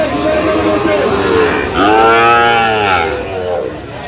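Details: Sahiwal breed bull calves brought to a cattle market in Gazipur, Bangladesh, late October 2025; a loud, rich, harmonic moo swelling for over a second midway, with softer bellows and people talking behind it.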